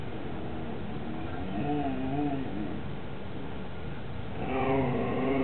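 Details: Siberian Husky: Mau Mau chews a lamb bone while a second husky, Hugo, watches and begs to share, recorded 18 September 2007. Wavering, whiny moaning tones come in two bouts, rising and falling, over a steady low rumbling background.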